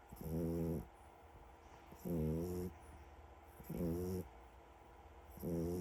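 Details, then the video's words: French bulldog puppy fast asleep, snoring loudly: four rasping, buzzy snores about every 1.7 seconds, each lasting half a second, with quiet breathing between them. "Snoring french bulldog is KNOCKED OUT"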